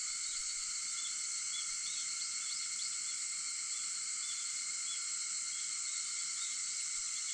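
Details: Early-morning cicada chorus, 4:50 on August 4, a sustained sharp high-pitched drone that never pauses, dotted with small faint chirps in the first half.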